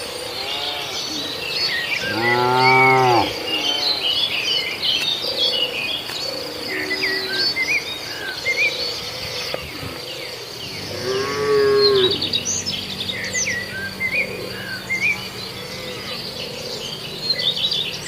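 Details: {'caption': "Cattle in a herd grazing in a farmer's rice field give two long, rich moos about nine seconds apart. Constant high insect drone and scattered bird chirps fill the gaps."}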